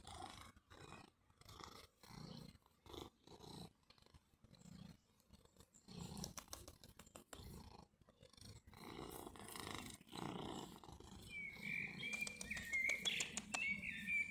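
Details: Summer purring from Mjaullo, a familiar cat seen again after a year: low rhythmic rumbles come in regular breaths, then thicken into a continuous purr while small birds chirp and trill in the background.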